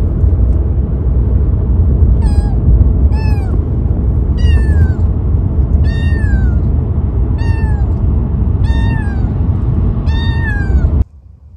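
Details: Male Siberian kitten Gato, three months old, newly collected for his new home, meows repeatedly, about eight short falling cries roughly one per second, over a continuous deep engine-like rumble that cuts off abruptly at the end.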